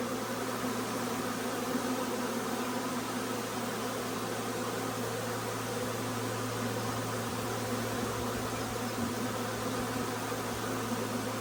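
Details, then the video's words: Honey bee swarm moving into a nucleus hive; a thick, constant buzzing roar of many bees, with a steady low mechanical-sounding hum running beneath the whole stretch. "Huge swarm arrives, magnificent as always!"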